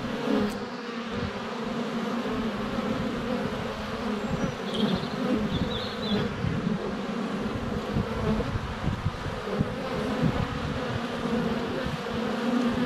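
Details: Many honey bees in flight around the hive entrance, recorded with a GoPro Hero 7 Black under a foot away on a sunny February day; steady droning buzz with short high bird chirps partway through.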